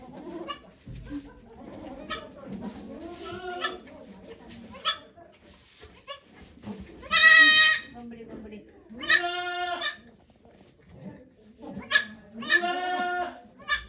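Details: Goat named Okayu at Yoshigake Farm in Japan, giving birth to two kids on 3 May 2023 as volunteers watch; three loud harmonic bleats, with quiet talking between them.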